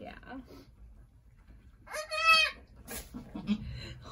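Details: Angora goats on a farm just before sunset on March 7, 2020, as a doe gives birth to two red buck kids. A single high, wavering bleat of about half a second, rich in harmonics, with quiet human speech before and after.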